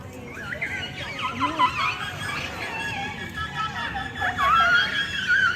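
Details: Captive killer whales trade squeaky, wavering whistles and rising calls made through the blowhole, overlapping one another over a low hiss; each pod has its own dialect of calls.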